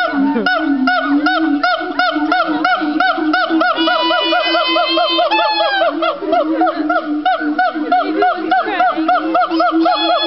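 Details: A family of gibbons sings together at Fota Island Wildlife Park in Cork, Ireland. Rapid arched whooping notes repeat about three times a second over a steady lower tone, and higher rising glides join in near the middle.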